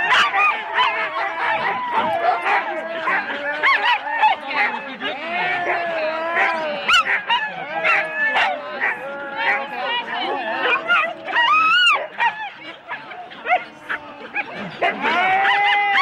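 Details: Many Huskies harnessed in four-dog teams wait at a sled race start in Rendlesham, January 2016, on analogue tape: continuous overlapping yips, yelps and short barks, frantic and irregular, with one loud rising howl near the end.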